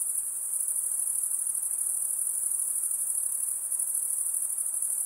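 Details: A steady, piercing insect drone, high and unbroken, with a slight pulsing shimmer to the tone and nothing else clearly heard.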